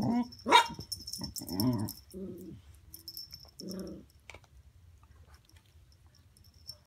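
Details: A dachshund gives a few short, harmonic barks and huffs at irregular intervals while playing with a Labrador.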